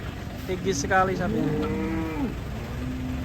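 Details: An angry cow coming down from a truck gives one long, drawn-out moo that rises and then drops off at the end, with a steady engine hum and a high electrical whine in the background.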